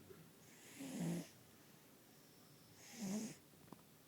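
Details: Fat cat snoozing and snoring loudly: two rough, breathy snores about two seconds apart, each swelling then fading, with quiet room noise between them.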